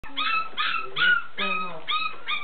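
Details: Bull Terrier dog giving a run of six short, high, nasal whining yelps, each with a slight rising then falling tone, spaced about every half second, with a brief spoken voice nearby.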